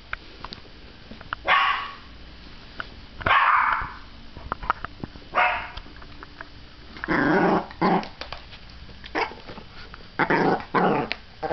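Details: Princess, a household dog said to bark at everything, lets out loud rough barks spaced irregularly across the recording, some drawn out and growly, with short clicks and knocks in between.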